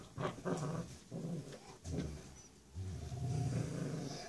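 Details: Rottweiler puppy, six weeks old, female, playing tug of war with her mother indoors: repeated low, rough growling bursts about every half second, then a longer sustained growl.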